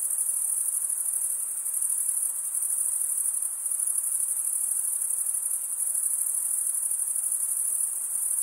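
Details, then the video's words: A dense chorus of chirping crickets forms one sustained, high, ringing buzz with rapid regular pulsing, holding steady across the whole stretch without pauses or other voices. "Most relaxing cricket sound"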